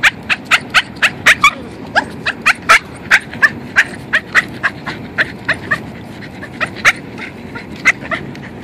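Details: Boston terrier, a pet dog, worked up with excitement on a walk: rapid, sharp high yips and squeaky whimpers about two to three per second, fairly steady throughout, over a constant outdoor hiss.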